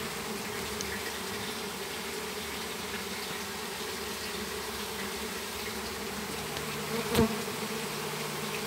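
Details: Swarm of Apis mellifera honey bees being captured in a backyard in Campo Grande. A continuous droning hum of many wings, even in loudness, with a short sharp tap near the end.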